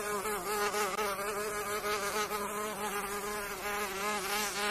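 A mosquito's steady, high, nasal whine that wavers gently in pitch.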